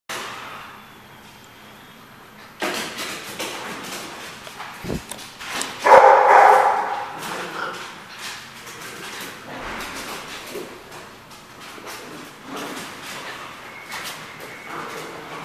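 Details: Dogs recorded on 1/9/15: a quiet start, then scattered sharp barks and knocks, one loud harsh bark burst near the middle, followed by further irregular barking over a busy, echoing background.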